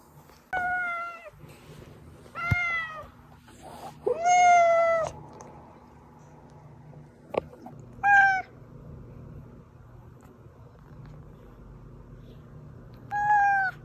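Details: A domestic cat named Oz meows five times, clear harmonic cries with pauses of a few seconds between them. The call is played to lure hiding cats out.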